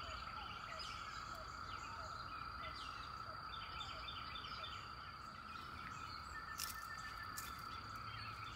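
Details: Periodical 17-year cicadas singing at the end of May, a constant droning chorus holding a steady whine, with small bird chirps scattered over the top.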